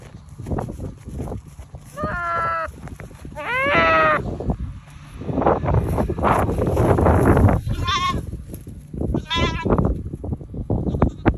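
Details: Goat with its head stuck in the ground, being rescued; loud wavering bleats in short bursts around two, four, eight and nine seconds, amid rustling, scraping and handling noise.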